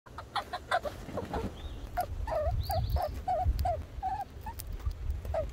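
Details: Red squirrel named Little Red giving a series of short, squeaky chirps, each a quick bent note repeated roughly every half second, over a low rumbling background.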